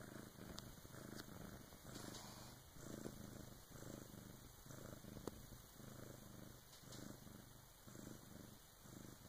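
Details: A Bengal cat purrs steadily, a low rumbling throb pulsing about once a second, at about 3 a.m. as she gives birth to her first kitten with help from her "big sis".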